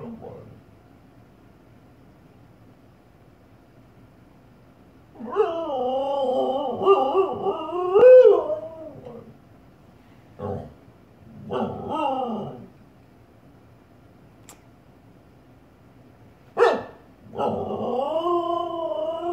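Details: Female Siberian Husky indoors, barking at her own reflection in a fireplace. Drawn-out, whining, yowling barks with a wavering, bent tone come in bursts of one to three seconds, separated by quiet pauses.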